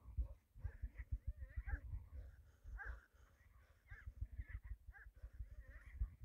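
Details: Pet hyena vocalizing as its owner calls it: a run of thin, wavering whines and squeaks that rise and fall, some bending into short trills, over steady low rumbling and handling noise.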